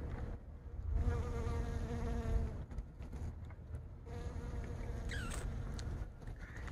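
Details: Honey bees working plum blossoms on a blooming plum tree, pollinating the flowers; a steady droning buzz with stacked overtones that drifts in pitch as bees pass close, fading and returning, with low wind rumble and a brief descending chirp near the end.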